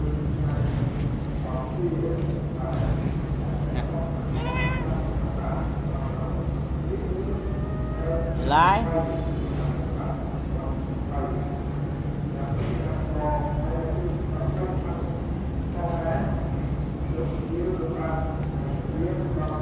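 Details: Cat being given mixed rice, with a few short meows and one louder, rising then falling meow midway, heard over steady low rumbling background noise and human speech.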